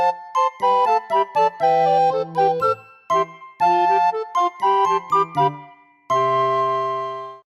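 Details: A tinkling chime melody of bright bell-like notes, ending on a long sustained tone, with no animal sound.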